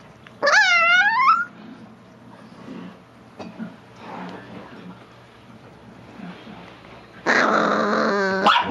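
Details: Chihuahua teased while chewing a bone, making dolphin-like growls: a one-second wavering squeal opens the clip, then quiet rumbling, then a long harsh squealing growl of more than a second near the end.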